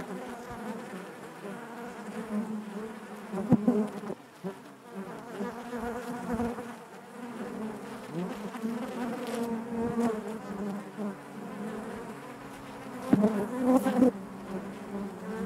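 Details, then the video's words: Honey bees buzzing inside their hive: a dense, steady low drone of many wings with layered overtones, swelling and fading, broken by a few louder close passes near four and thirteen seconds. "bees therapy hive natural buzzing sound"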